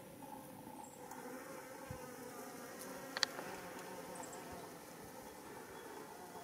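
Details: Foraging worker Japanese honeybees (Apis cerana japonica) visit white rock creeper (Schizophragma hydrangeoides) flowers for nectar and pollen beside a mountain road in Japan, early July 2016. A soft, steady low hum of buzzing wings continues throughout, with a few brief sharp clicks.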